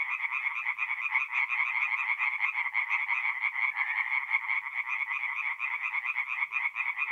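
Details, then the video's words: Tree frogs in full chorus on an April night at a forest pond in north-east Italy, a relentless fast-pulsed croaking from many animals at once, bright and evenly loud throughout. "relaxing forest pond by night with singing tree frogs"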